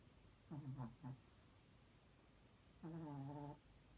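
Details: Chihuahua dog in REM sleep, dreaming, making loud snoring sounds: a short stuttering burst of three low nasal tones, a pause of nearly two seconds, then one longer, steady, droning low tone.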